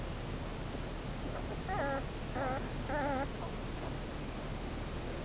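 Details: Two-week-old male Komondor puppies from a litter of five whimper in three short bursts, each a wavering, harmonic whine rising and falling, the last the longest, over a steady background hiss.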